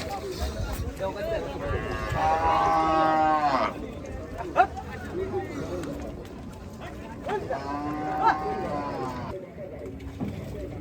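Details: Gaiya cattle at a cattle farm during unloading; two drawn-out, strained moos about six seconds apart, with shorter lower calls between and a background of voices and rumbling.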